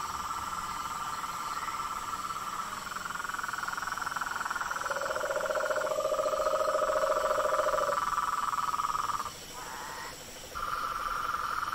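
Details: Wild frogs and toads in a continuous trilling chorus, with a lower buzzing trill joining midway for about three seconds and a brief dip in the chorus near the end.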